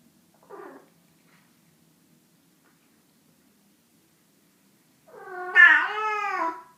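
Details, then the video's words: Domestic cat letting out a loud, drawn-out meow that rises and then falls, after a faint short chirp and a few seconds of near silence. "Funny cat noises"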